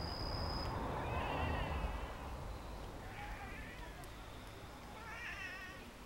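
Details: Pet cats down from a block wall, wriggling as though dancing. Three drawn-out meows sound at roughly two-second spacing, the last one wavering and rising, over a low rumbling background.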